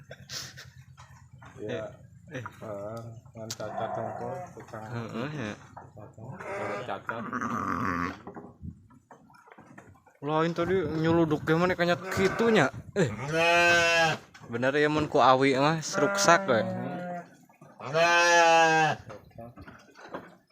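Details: Large, genuine Garut sheep aged three years calls from its pen: after people talk, a run of loud, harsh, wavering bleats about a second each follows in quick succession, with brief pauses between.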